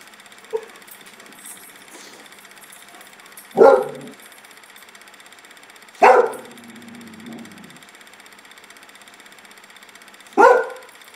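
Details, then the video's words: A pet dog spooked in a backyard gives three sharp, separate barks spaced a few seconds apart, one trailing into a low drawn-out grumble, over a quiet steady background. "Sledge Hammer spooked"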